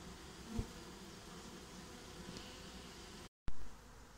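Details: Swarm of honeybees getting a new home: a steady low droning hum from many bees, with a brief thump near the start and a short dropout before the hum resumes.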